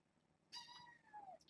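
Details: Young kitten from a litter born June 21 to a rescued stray mother, indoors on an evening dated 9-14: one clear, drawn-out meow, its pitch sliding gently downward over about a second, followed by a brief faint squeak.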